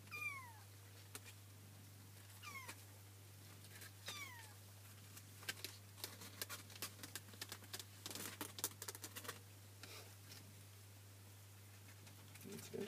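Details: Kitten mewing indoors, three thin high falling mews spaced about two seconds apart, followed by rustling, scratching and clicking noises over a constant low hum.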